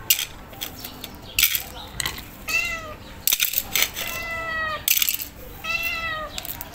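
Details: A stray calico cat that seems hungry gives repeated plaintive meows, four clear calls with bright harmonics, each a short downward-bending wail, separated by sharp clicks and rustling noises.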